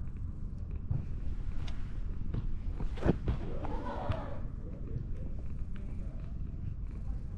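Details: Showing its belly and nuzzling for affection, a grumpy-looking cat purrs in a dense, low, pulsing drone, with brief rustling handling noises near the middle and quiet human voices.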